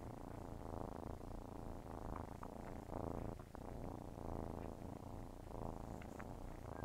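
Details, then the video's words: Purring from kittens as they nurse, a loud continuous low buzz swelling and easing with each breath, interrupted by short wet suckling clicks. "Nursing kitten ASMR| Purring sounds"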